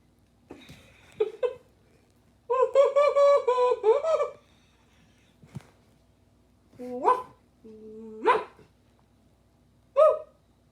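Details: Pet dog reacting to sounds blown through a pool noodle: a long harmonic howling phrase, then rising yelps and whines with steady stepped tones, short bursts spread across the recording indoors.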